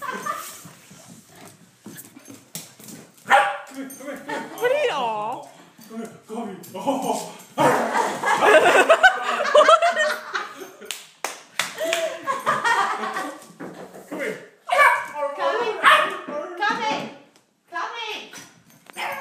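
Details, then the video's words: Excited female puppy barks and yips at a companion and a toy, quick uneven bursts with some whiny rising notes, while human speech runs through most of the scene. "Puppy barks at Hugo and toy"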